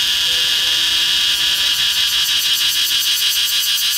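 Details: A cicada perched on the trunk of a flame tree, recorded up close, gives a loud, shrill buzzing drone that pulses rapidly and steadily.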